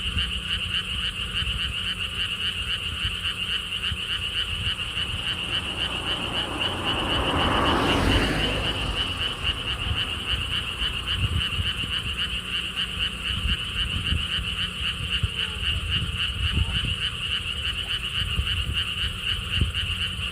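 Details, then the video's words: Frogs at a lotus theme park in Siheung, South Korea, along a stone wall path: a steady, rapidly pulsing chorus, about four notes per second, interrupted midway by a loud rushing swell that rises and fades, low rumble beneath. "돌담길, 바람, 개구리 소리를 품은 연꽃 테마파크.Stone wall path, wind sounds, and frog sounds with Lotus theme Park."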